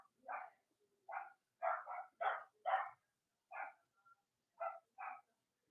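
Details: Robin and Myra's Cavalier King Charles Spaniel puppies, on an indoor US puppy live stream around Halloween, yap in short sharp yips, sometimes paired, about two each second, with brief gaps between bursts.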